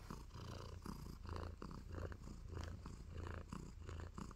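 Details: Tabby kitten Nacho purring contentedly during love bites, a deep continuous rumble rising and falling in even breathing cycles about every two-thirds of a second, recorded up close.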